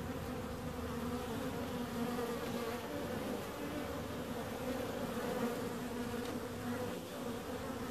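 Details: Bees humming together in a constant, even drone, several overlapping tones wavering slightly with no other sounds standing out.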